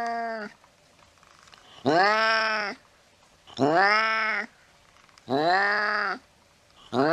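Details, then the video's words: A cat chasing a mouse in the late night lets out repeated loud meows, each under a second long, arching up then down. They come roughly every one and a half to two seconds, with silence between. "tiếng mèo đuổi chuột trong đêm khuya"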